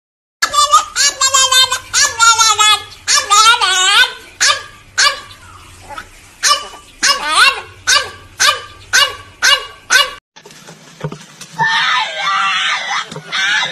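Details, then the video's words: Domestic dogs in a funny compilation: drawn-out, wavering harmonic howls and yowls, then a run of short, sharp barks, roughly two a second, ending in noisier, rougher calls. "Weird Funny Dogs 🐶 Bark"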